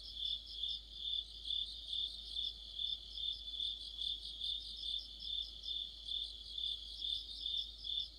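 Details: Mid-autumn orchestra of crickets and fellow insects: a continuous shrill ringing with regular rhythmic surges a little over twice per second, nothing else prominent.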